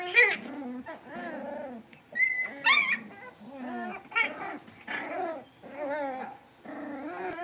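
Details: Blenheim Cavalier King Charles Spaniel puppies, a litter of five born at New Year's, moving into a bigger pen at home: overlapping wavering whines and growly yaps, with two sharp high yips midway and short pauses between bursts.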